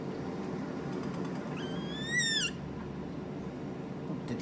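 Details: A pet capybara answers at once when her name, Potato, is called, with one brief, high whistle with bright overtones that climbs slightly before falling away, over a steady low background rumble.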